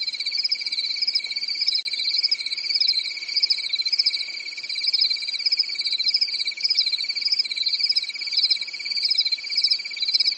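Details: Crickets chirping through a calm summer night in a European forest: a dense, unbroken chorus of high, rapidly pulsed trills, one steady thin tone under a brighter wavering band, with no other sounds.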